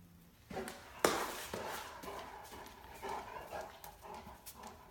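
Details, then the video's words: Female Great Dane puppy indoors, play bowing and 'talking' to coax a patient cat into playing: short grumbling, moaning vocal bursts rising and falling between sharp thumps and scuffling. "Talkative Clumsy Great Dane Puppy Wants Cat To Play With Her"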